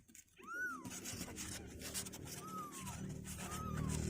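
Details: Kittens two weeks old, restless and trying to leave their box; three thin, arched mews, each rising then falling, the first loudest and the next two spaced about a second apart, over a steady low room hum.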